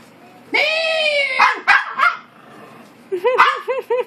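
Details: Harry the Maltese argues indoors with Hector: a long drawn-out howling bark with rich harmonics, then several short yappy barks, followed by a quick series of rising-falling yips, with a person talking between.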